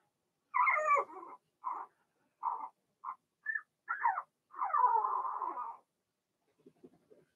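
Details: Blenheim Cavalier King Charles Spaniel puppies from a litter of six, two females and four males, born March 7–8, in an indoor puppy pen during potty training. A burst of short mid-pitched yelps, then a long wavering whine, then faint soft whimpers.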